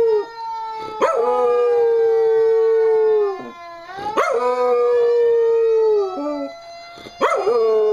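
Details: Gus, a pet dog, howling in reaction to a simulated fire engine siren played from the web; three long howls, each swooping up sharply then holding a steady, slightly falling tone for two to three seconds.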